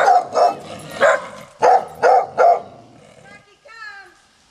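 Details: Three dogs at a home deep in a canyon, barking to announce passers-by: six loud harmonic barks in quick bursts over about 2.5 seconds, then a fainter higher whine or voice near the end.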